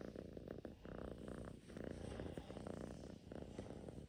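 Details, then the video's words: Purring Russian Blue cat: a soft, continuous buzzing rumble pulsing in regular waves under a second long, recorded indoors at close range. "Purring machine is on"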